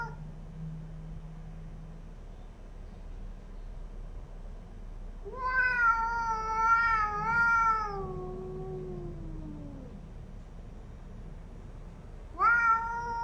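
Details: Cats squaring off in a fight over a new home, with a quiet low growl at first, then a loud quavering yowl that wobbles for several seconds and slides down, followed by a fresh rising wail.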